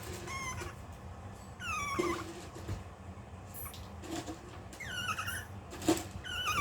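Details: Long-coat Chihuahua puppy indoors, holding back while waiting its turn for food at mealtime: thin, high whines slide downward in short bursts, several repeated over a few seconds, with soft rustling and household noise between them.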